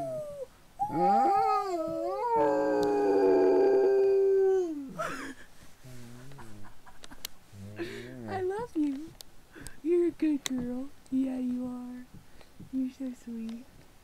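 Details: Pet dog howling indoors: long drawn-out tonal wails that slide and waver, then settle into a steady falling note over the first five seconds, followed by shorter broken vocal sounds mixed with people talking.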